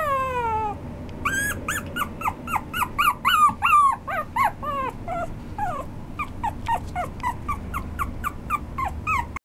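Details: A Maltese–Shih Tzu cross whimpers: an opening drawn-out falling whine, then rapid loud yips in a tight series that fade into softer, quicker squeaky whimpers, with low background hum throughout.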